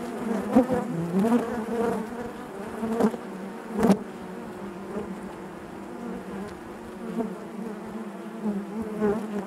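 A dense, steady hum of honey bees inside a hive, with low droning wingbeats throughout.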